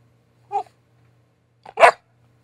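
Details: Twelve-week-old Border Collie puppy giving one sharp, short bark indoors after a brief soft sound, while learning tricks; otherwise quiet with a low steady hum.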